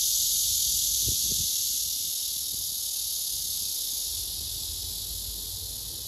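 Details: Male blackish cicada singing a courtship song to a female below that ignores him; a dense, continuous high buzzing hiss holds steady and then eases slightly toward the end, with a couple of faint low knocks early on.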